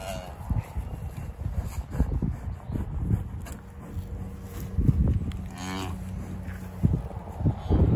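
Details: English Longhorn cattle at Loseley Park during a calving, just after the calf's birth. A long, low, steady moo holds for a couple of seconds mid-clip, amid scattered thumps, rustling and faint human voices.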